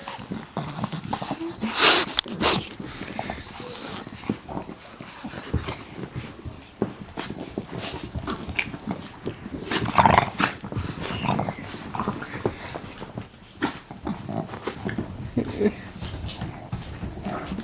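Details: Puppies named Geraldine, Olive and Laverne playing indoors in a small room, with snorts, soft whimpers and scuffling bursts, louder thumps near two and ten seconds, a steady faint high hum throughout.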